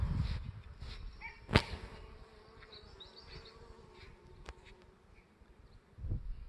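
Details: Bees flying around common barberry flowers (Berberis vulgaris) on 3 May 2018: a soft, steady, low buzzing drones through the middle seconds. Rumbling wind-like noise and a few sharp clicks sound around it.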